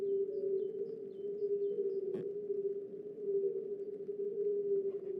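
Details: Chorus of European fire-bellied toads (Bombina bombina) from reeds of a spring pond, likely mating season: soft, mellow, low humming overlapping 'oop' notes peaking near 400 Hz, audible 100–200 m away, undisturbed by shouting or thrown stones; animals unseen.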